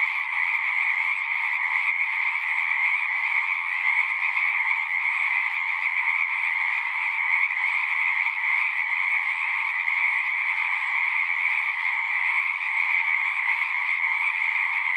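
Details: Frogs singing in a dense, unbroken chorus: a steady shimmering trill with two bright bands, one mid-pitched and one higher, holding even loudness throughout with no pauses and no other sounds.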